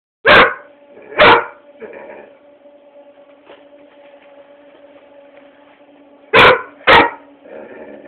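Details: Pet Labrador Retriever barking at a foot massager, filmed on a cellphone indoors: four sharp loud barks, two near the start and two around six to seven seconds, with a steady machine hum between them.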